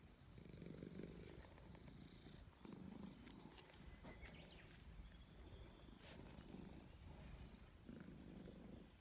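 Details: Domestic cat purring while being petted outdoors in a forest: a steady low rumbling purr in rhythmic breath cycles of about 1.5 to 2 seconds, with faint bird chirps and brief rustling or handling noises.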